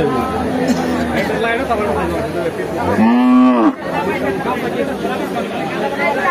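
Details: Biggest cow at Sonapur market in Saltha, sold for Eid al-Adha during very hot weather, letting out one drawn-out moo that rises and falls, amid crowd chatter and a man talking.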